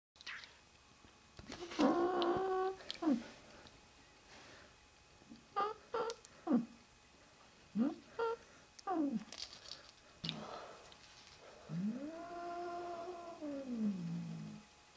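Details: Griff, a very possessive kitten, indoors: short harmonic cries around two seconds, a few brief chirping sounds in the middle, then one long drawn-out meow that rises and falls near the end.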